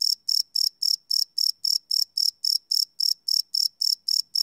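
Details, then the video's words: Cricket at night, recorded live on a Sony PCM D100 field recorder, producing crisp high chirps in a quick steady rhythm of nearly four per second, nothing else audible. "Cricket Chirp Sound - Cricket Sounds at Night"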